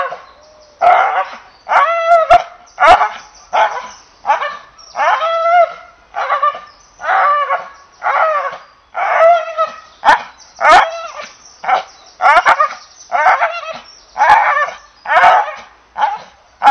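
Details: English Bull Terrier barking persistently, a long series of short, rough, whiny barks delivered about once per second, some with rising yelping endings, nothing else heard.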